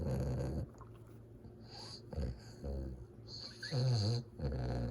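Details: Fawn Cane Corso puppy, two months old, asleep and snoring: continuous rough, low, wheezy breathing with snorts, growing louder near the end, over a faint steady background hum.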